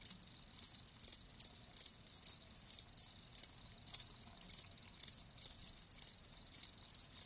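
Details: Live crickets making sharp, high chirps repeated roughly twice a second in a fairly steady pulse, each a short trilled burst, over a quiet background.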